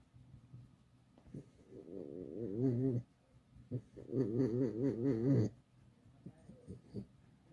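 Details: Alice, a pet fox kept at home, complaining: two drawn-out, wavering, whiny harmonic calls, each lasting one to two seconds with a quavering pitch and a short pause between, followed by a few soft clicks and snuffles indoors.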